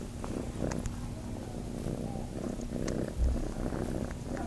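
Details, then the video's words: Farm kitten looking to nurse, purring in a continuous deep rumble with small rustling noises and a brief soft thump. "Kitten looking to nurse"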